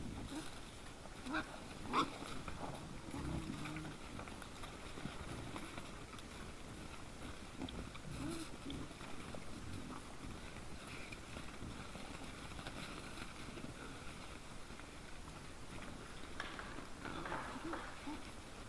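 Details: Trail-camera recording of wild boars at night, 17 December 2022, 20:17: deep irregular grunting and snuffling, one louder grunt near the start, then quieter rooting grunts against a low noisy background.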